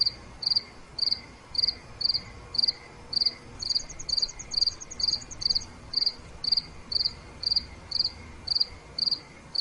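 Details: Night crickets chirp in a steady high beat near two per second, with a thinner, faster ticking trill layered above for a couple of seconds in the middle, and a quiet lower hum underneath.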